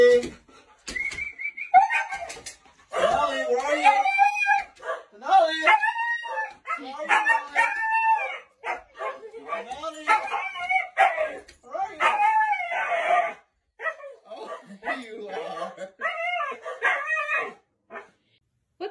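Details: Siberian Husky named Mika vocalizing right after a 30-minute walk, a string of high, wavering whines and yips rising and falling in pitch, each a second or so long, with a person talking back over them.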